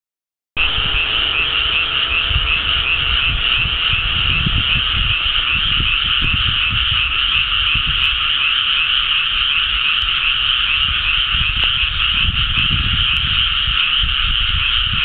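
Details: Frogs in a flooded rice paddy on Sado Island, Japan, calling all at once in early May 2010, after rice planting and a few warm days, recorded with a compact camera. A dense, continuous trilling chorus forms an unbroken high wall of sound.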